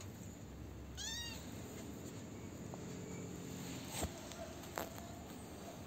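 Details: A lone kitten, the last of its litter left after its siblings were taken, now fed and cared for, gives one high, downward-curving meow about a second in, over a steady low background hum.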